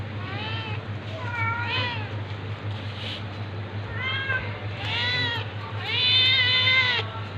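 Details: Cats meowing as a tabby attacks a ginger cat: a series of short, bent meows that grow louder and longer toward the end, over steady low hum and background noise.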